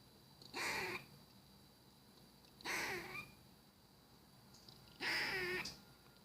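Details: A squirrel making weird sounds: three harsh, raspy bursts, each about half a second long, spaced roughly two seconds apart against a quiet background.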